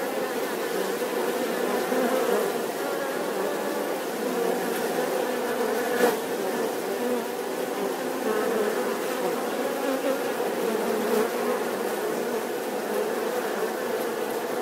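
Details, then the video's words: Bees droning without pause, the buzz wavering slightly in pitch as insects move about, with faint clicks or taps now and then over the even hum. "The sound and picture of the Bee"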